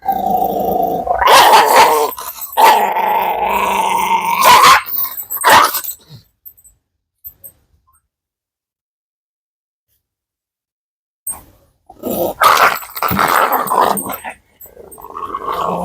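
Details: Dog growling and snarling loudly in long rough stretches, broken by a few sharp barks, then a long silence before more snarling returns.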